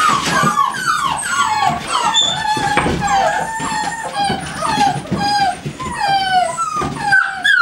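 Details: American Staffordshire Terriers from GaidJewel's kennel produce overlapping high whines and short howls that bend downward, several voices at once, in a steady, busy stream of calls.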